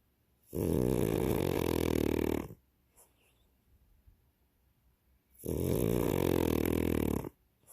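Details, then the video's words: French Bulldog snoring, two long rasping, buzzy snores each about two seconds, separated by roughly three seconds of quiet breathing. "Snoring Frenchie"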